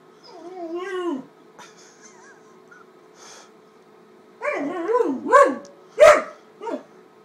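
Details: Great Dane puppy, 13 weeks old, upset and attacking a paper bag indoors: a wavering whine near the start, then a burst of sharp yelping barks and whines after a quiet pause, with rustling in between.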